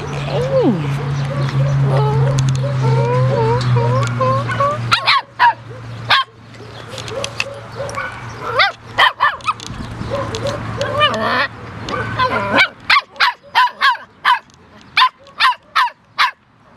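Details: Puppies giving high squeaky whimpers and rising whines, then a quick series of sharp short yaps toward the end, over a steady low hum.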